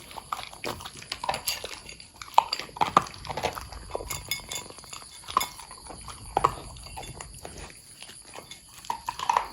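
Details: Corgi Pudding, long-haired, munching food steadily: scattered crackling bites and snapping chews at an uneven pace, some louder crunches spaced a second or two apart.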